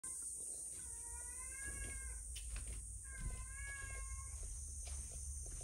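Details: A male rescued cat comes back indoors giving an unusual meow. Two drawn-out, level, tonal meows, each about a second long, are separated by a short pause over a steady high electrical whine and low room hum.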